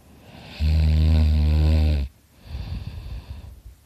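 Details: Sleeping dog named Dakota snoring loudly: a sustained low, vibrating rasp lasting about a second and a half, followed by a quieter breathy exhale.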